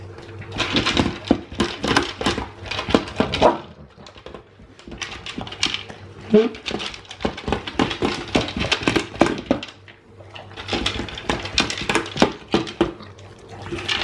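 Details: A male Alaskan Malamute yowls and grumbles in bursts at feeding time, begging for food about 12 hours after his last meal, amid clattering dishes.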